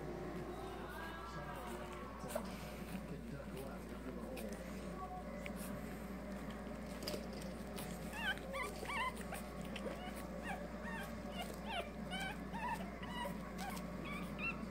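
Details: Pekingese puppies, watched by their parents, whimper and squeak in high, thin bursts over a low household murmur.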